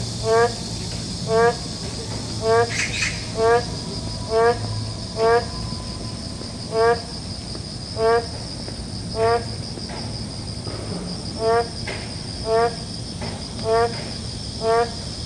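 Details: Boreal digging frogs in a city forest give short, nasal, harmonic calls about once a second, repeated steadily, over a constant hiss of rain.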